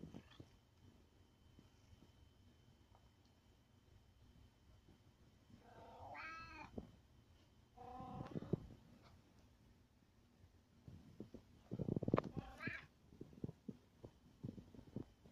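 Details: Cat wanting attention meows indoors, two or three drawn-out harmonic meows with wavering pitch, the last rising then falling, between stretches of quiet low rumbling and faint knocks.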